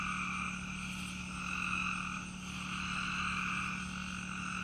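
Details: Peepers calling outdoors together with crickets, a dense frog chorus forming steady pulsing bands that swell and fade around a second apart, with a thin high insect hum above and a constant low drone beneath.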